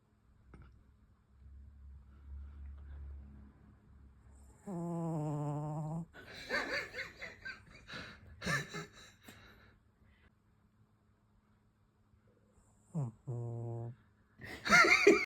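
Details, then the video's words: Maku the cat snoring while fast asleep indoors: a drawn-out, low buzzing snore of over a second, rough breathy puffs after it, then two shorter buzzy snores in a pair, ending with a brief noisy rustle. "猫のいびき Cat snoring．"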